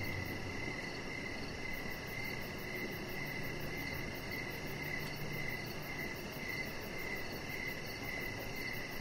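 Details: An evening cricket chorus outside on a deck, where Rocket the chihuahua puppy lies under decoration lights; thin high chirps keep a continuous, even pulsing rhythm over soft background noise.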